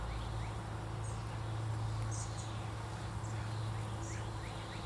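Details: Honey bees on a lightly filled deep frame of a 25-day-old hive being inspected; an even low hum holds throughout, with faint high bird chirps in the background.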